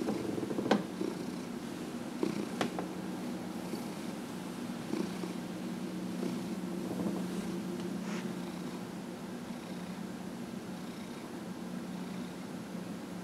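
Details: Purring from Dillard, an elderly domestic cat aged 15 and a half, getting a massage indoors; an even, low rumbling purr continues throughout, broken early by a few sharp taps and rustles.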